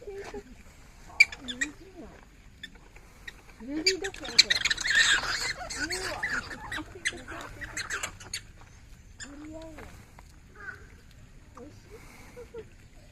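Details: Black-tailed prairie dogs in a group at Uminonakamichi Seaside Park's Animal Forest, Fukuoka, start fighting while eating their evening carrots; scattered squeaks build to a noisy scuffle of harsh squeals in the middle, then fade to occasional chirps, with people's voices nearby.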